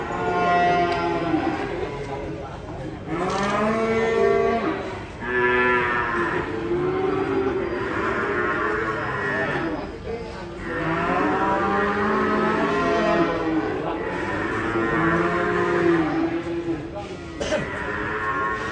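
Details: Furious cow being unloaded from a truck after crashing into a motorbike bellows again and again, long rich harmonic moos rising and falling in several bursts, with tense music playing underneath.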